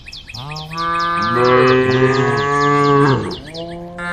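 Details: A single sustained moo, about three seconds long, from one of a group of tame female cows calling the herd on a road. It rises into a steady full tone and ends with a falling dip. Quick high chirps repeat behind it.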